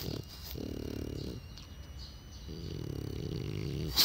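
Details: Twelve-year-old French Bulldog, filmed on 6 June 2016. Two long, rumbling, nasal grunting groans are separated by a pause of wheezy, snuffling breath, with a faint high whine in the background.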